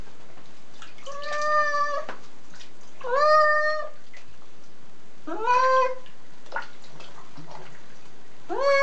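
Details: Dusty domestic cat meowing while being washed: four loud, plaintive meows, some rising at the start, spaced one to two seconds apart, with faint rustling between them.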